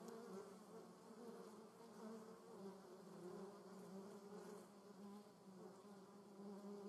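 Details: At the nest of German yellowjackets (Vespula germanica), an unbroken low wing drone fills the recording, several buzzing tones wavering and crossing each other as wasps circle nearby.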